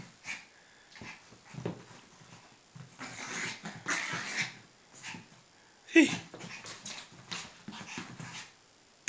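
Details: Indoor play between a Yorkshire Terrier mother and her one-year-old pup: low grumbling growls and soft whines in uneven bursts with pauses, and one sharp yelp near the middle.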